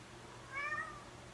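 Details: A lynx point Siamese cat gives a single short meow with clear harmonics that rise slightly, then fall away.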